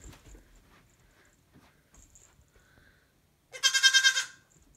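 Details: Baby goat indoors in a bedroom giving one loud, harsh, wavering bleat of under a second near the end, after several quiet seconds of faint rustling and household noise.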